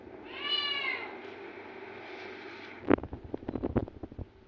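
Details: A cat's single falling meow with bright harmonics, then a burst of scratchy clicks and handling noises.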